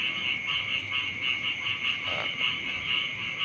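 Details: A frog chorus in the early morning beside a rice field in front of a house: high, rapidly pulsed calls repeating several times a second over a steady ringing hum.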